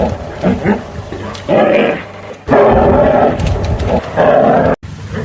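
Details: Deep, grating bear roars rise in loud bursts of one to two seconds, with softer grunts between them and a sudden cut near the end.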